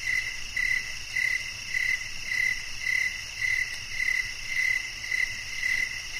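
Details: Steady cricket calling: brief, high, clean chirps pulsing at a regular pace of almost two per second, backed by an unbroken high insect buzz.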